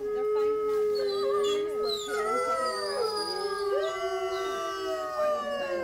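Wolves howling together, long steady notes that bend and glide over one another.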